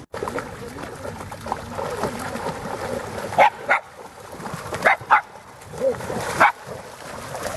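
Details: Black female Shiba Inu barking while dogs chase each other through water in the Groenendaal forest: splashing and rustling noise, then short sharp barks in pairs and singles spaced over several seconds.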